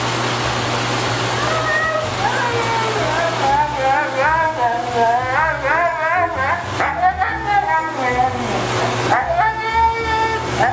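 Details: Moon, a pet Siberian Husky, protests dramatically during bath time at home; wavering, yodel-like whines and howling moans rise and fall in a long, warbling series, with owners' voices and light background music.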